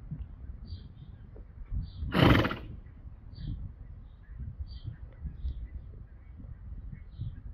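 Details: Male Friesian horse making funny sounds together with a companion horse: one loud, breathy, noisy burst lasting about half a second, like a forceful snort, rising over a steady low rumble of outdoor background noise.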